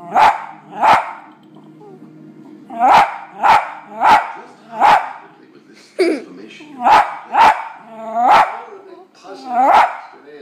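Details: A West Highland White Terrier barks at dogs on television, giving sharp, high barks in quick bursts with faint TV sound behind.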